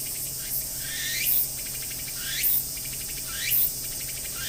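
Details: Tsukutsuku-boshi cicada singing at Akisaizaki Station, Hiroshima Prefecture, recorded from the waiting room; loud buzzy trill with rising sweeping phrases repeated about once a second over a steady high hiss.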